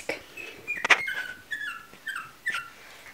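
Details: Chihuahua puppies at a kennel, indoors: a series of thin, high whines and squeaks, several sliding downward in pitch, with short gaps between them, plus a few soft clicks and handling noises in a small room.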